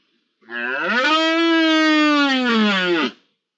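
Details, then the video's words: Red deer rut in early October, one sustained roar of nearly three seconds, rising at the onset, holding a steady deep harmonic tone and sagging slightly before it ends, with no other sounds. "Berrea en la primera semana de octubre"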